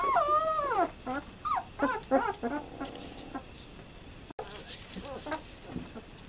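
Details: Twelve-day-old German Shepherd puppies, from mother Fan-Widi's Hippi and father Koby von Fidelius, filmed 18 November 2012, give squeaky, wavering whines that rise and fall, then shorter broken yelps, fading to fainter whimpers.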